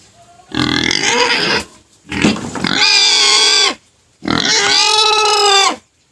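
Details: Pet pig crying, later quieted by sugar cane: three loud drawn-out squeals, each about a second long, rough and noisy at the start, then turning into a shrill, tonal, harmonic scream.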